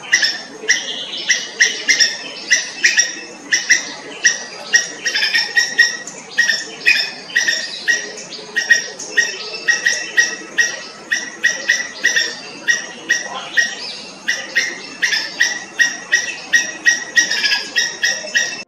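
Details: Indian palm squirrel, also called three-striped palm squirrel, giving a long series of sharp, chirping chip notes. They come in quick succession, roughly two or three each second, and run steadily through the whole recording.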